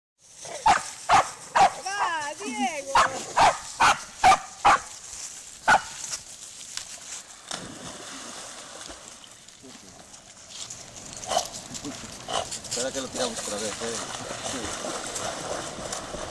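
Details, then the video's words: Spanish Water Dog leaping into water to fetch a stick, barking eagerly in a quick series of sharp barks over the first six seconds, then splashing and moving water with people talking. "Perro de aguas a por el palo al agua"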